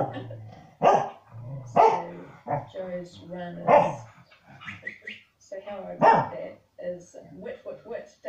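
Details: Indoor pair of corgis barking at a rural TV show of dogs shifting stock; several harsh barks and shorter yips arrive unevenly, interleaved with television speech and background noise.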